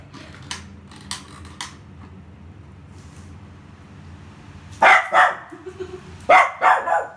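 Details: Poodle named Rio playing with a ball, giving two loud bursts of sharp, harsh barks, each a quick double or triple, about a second and a half apart, after a quiet stretch with a few soft clicks and low background murmur.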